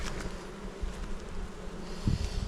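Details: Low, even droning of honey bees from a Jirisan apiary of native bees during frame inspection, steady through the clip, with a short handling knock toward the end.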